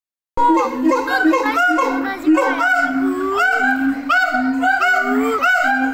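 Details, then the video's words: Siamang screaming at Tennoji Zoo, a caged ape: steady tonal hoots held low, overlaid with harmonic rising-and-falling whoops and sharp upswept cries repeating roughly every second, loud and continuous after a brief silent start. "絶叫 フクロテナガザル"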